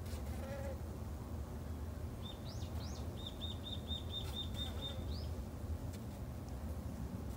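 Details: Japanese honey bees kept in a Japanese home garden by a new beekeeper. A constant deep buzzing hum underlies a bird's quick run of about ten high, evenly repeated chirps in the middle.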